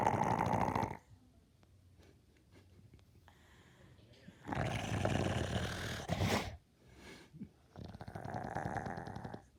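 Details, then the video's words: Dog snoring: broad, breathy rasping bursts lasting about one to two seconds, separated by quieter stretches with faint, softer breaths. "Cute dog snoring"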